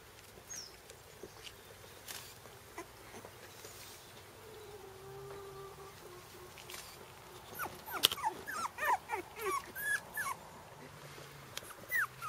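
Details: Four-week-old Shiba Inu puppies on their first trip outdoors give short, high, wavering whimpers and yips in quick succession.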